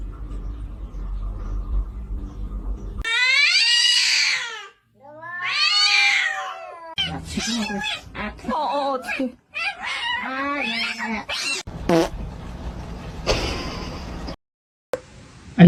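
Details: A pet cat gives two long, drawn-out, wavering meows indoors. People follow with talking and laughing, and there are brief clatters.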